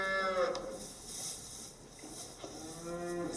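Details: Salers cow on a Cantal farm in France calling at 5:20 in the morning at a calving, having just delivered her first female calf; a moo opens the clip and a lower drawn-out moo follows near the end, with quiet barn background.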